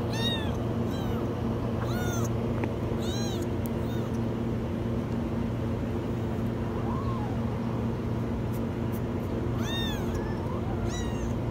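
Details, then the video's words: A kitten caught in a washing machine meows very high in short bursts of two or three arched cries, pausing between bursts, with a steady droning machine-like hum underneath. "Kitten stuck in the washing machine meow very high"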